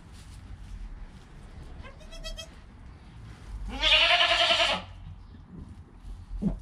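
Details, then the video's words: Goat kid born within the hour, its mother close by: a brief thin bleat, then a long, loud, hoarse cry lasting about a second, amid handling noise and rustling. "Baby Goat - One Hour Sound and Video"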